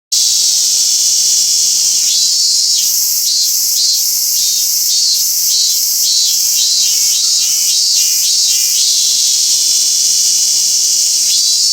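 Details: Robust cicada singing at Toyanogata Park, where a small population lives; pulsed bursts start about two seconds in and repeat quickly for some six seconds above a steady, dense background of insect hiss.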